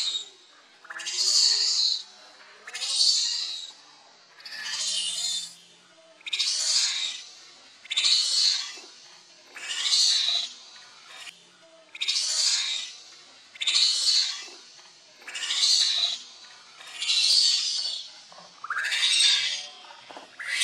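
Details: Hungry baby monkey named Leo cries for its mother's milk: shrill, piercing wails, each lasting about a second, repeated steadily roughly every 1.7 seconds throughout, some with a rising scoop at the start.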